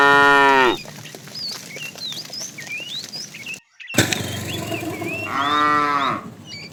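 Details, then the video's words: Tame cows roaming the road for food; a moo ends at the start, a brief break follows, then another full harmonic moo of about a second, with chirping birds between calls. "Funny cow sounds"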